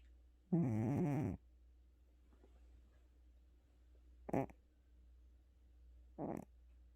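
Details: Exhausted after a hospital visit, the cat Gucci lets out one long, gravelly snore followed later by two short, soft snorts, with quiet room hum in between.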